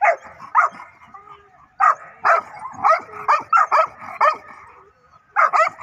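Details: Dog barking aggressively, sharp yapping barks in bursts of two to four with short pauses between groups.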